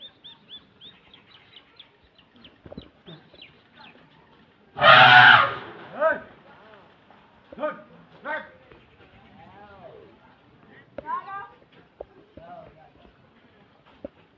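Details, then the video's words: Wild elephant in Assam trumpeting while crossing a village: a single loud, blaring trumpet blast of about a second, with people talking before and after it. "Assam Elephant Trumpeting while crossing the village"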